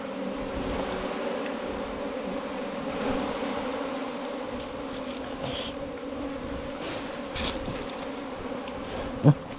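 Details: Bees at their nest inside a 4-metre bamboo stem, a steady low droning hum with strong even tones held throughout, a few faint rustles and a sharp knock near the end.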